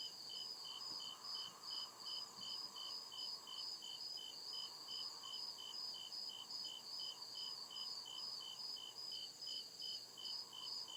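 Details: Night chorus of crickets in deep forest: evenly spaced bright chirps, roughly two to three per second, over a continuous shrill pulsing buzz, with a soft low drone swelling and fading in the background.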